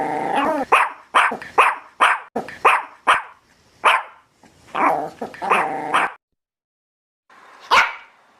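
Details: Dog. A dog gives a run of loud, harsh barks, several close together and then a few spaced out, sounding angry. A rough, growling undertone runs through the longer barks, and one last sharp bark follows a pause.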